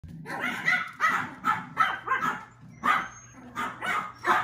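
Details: Puppy recorded March 10, giving a rapid run of sharp, yappy barks, roughly two per second, in uneven bursts with brief pauses and a faint steady hum underneath.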